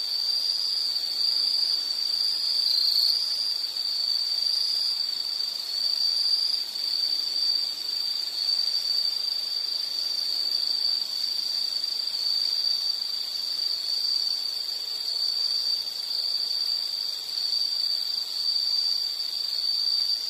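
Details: Insect calling with a steady, high-pitched, shrill drone that holds unbroken for the whole stretch, with faint fainter overtones above it and no other clear sounds.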